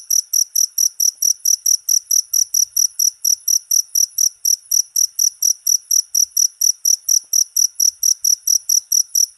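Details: A cricket chirps continuously, giving sharp, high, ringing pulses at an even pace of roughly three per second for the whole stretch, loud and clear against near silence.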